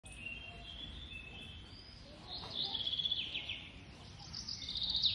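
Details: Baby squirrel being fed, giving high, thin chattering squeaks in short rapid bursts that grow louder toward the end, over a soft low background hiss.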